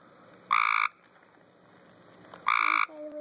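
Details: Tree frogs in a swimming pool: two loud, harsh buzzy croaks, each about a third of a second long, spaced two seconds apart, with a faint outdoor background.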